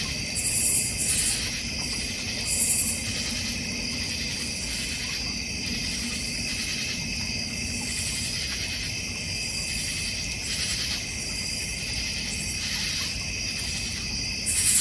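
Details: Backyard crickets in the North Georgia Mountains, beside a goldfish and koi pond: dense continuous high-pitched trilling, with short sharper bursts of very high chirping every few seconds over a faint low rumble.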